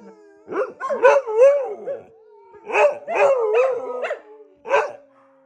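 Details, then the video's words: Two or more dogs howl before bed, wavering yodel-like howls mixed with short yips, coming in two bursts with a quiet pause between them. "Dogs howling before going to bed"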